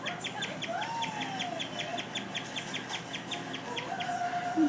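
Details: A guinea pig chirps indoors in a fast, steady series of high, bird-like peeps, several each second, going on unusually long; the cause of the chirping is not known.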